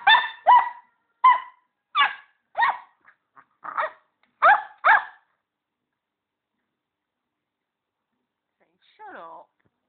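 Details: Border Collie puppy Poppy yapping at Ricky the hamster during their first meeting. Eight sharp, high yaps come in quick succession over about five seconds. Silence follows, then a brief falling squeal near the end.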